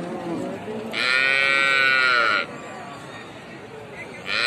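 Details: Baby cow calling with one loud, sustained, high-pitched harmonic cry lasting about a second and a half, preceded by lower wavering calls. A second cry begins at the very end over steady background noise.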